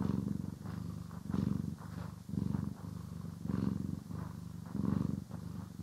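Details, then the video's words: Domestic cat purring during grooming and brushing, stereo recording: a deep continuous rumble pulsing in and out roughly every second, with soft scratchy brush strokes faintly audible. "CAT ASMR | Purring, Grooming & Brushing"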